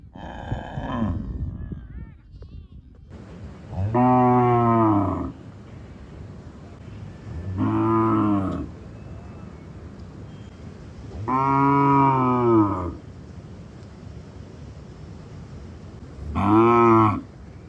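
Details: On a village farm, a cow gives four deep, drawn-out moos, each about a second long, spaced a few seconds apart.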